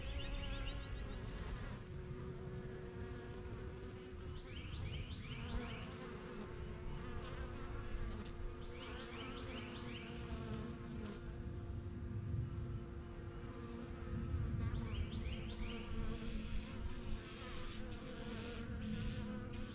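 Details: Constant low buzzing of a crowd of honey bees around a newly kept backyard hive, the yellow box, with bees flying in and out while small birds chirp in short bursts several times behind the drone.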